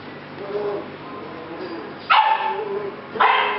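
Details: Rescue puppies from the Z litter, filmed July 8 2016: two sharp yips or barks about a second apart near the end, preceded by softer whines, over a faint steady hum.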